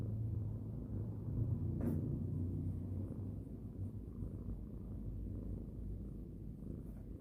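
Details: Cat purring while being stroked at bedtime: a deep continuous rumbling drone that swells and eases with each breath, plus one sharp rustle or click near the two-second mark.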